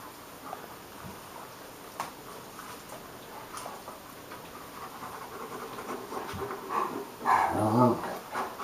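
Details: Two playing dogs, Hagi the Romanian Mioritic and Nijinsky the South Russian Ovcharka: quiet breathing and scuffles, ending in a louder, buzzy, layered growl lasting about a second.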